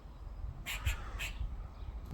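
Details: Squirrel in a tree in a back garden, calling on a second day: three short, harsh, broadband bursts in quick succession within about half a second, with faint background noise between.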